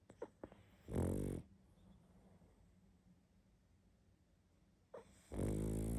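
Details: Sleeping pug snoring heavily indoors: two loud, rasping inhaled snores about four seconds apart, each lasting under a second, with faint breathing between them.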